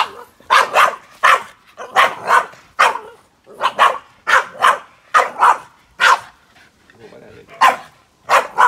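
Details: Boston Terrier named Yoda barking at a grill fire: clusters of sharp, high barks in pairs and triples, about a dozen bursts over the stretch, with brief quiet gaps between.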